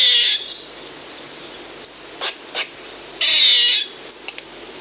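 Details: Loud eastern gray squirrel call prepared for hunting use: two harsh, buzzy high-pitched bursts, one at the start and a longer one midway. Short sharp chips fall between them over a steady background hiss.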